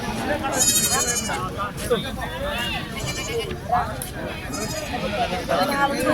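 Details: Bleats at the Chilpur Gutta Sunday market for sheep and goats; several short, quavering, high nasal cries come in quick succession through dense speech and crowd noise as animals are handled.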